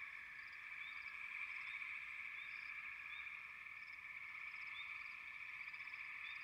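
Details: Frogs in full chorus produce a steady buzzing drone, topped by sparse, brief rising chirps and a few higher squeaky notes.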